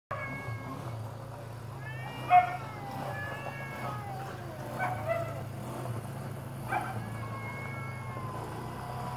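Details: Shop cat defending its territory from a stray cat: drawn-out wavering yowls with sliding pitch, separated by pauses, over a steady low hum.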